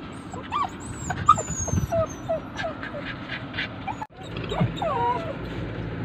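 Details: Poodles crying after their owner left them: high, bending whimpers and yips repeat over six seconds, arching and sliding, with a brief silent break near the fourth second and soft speech in the background.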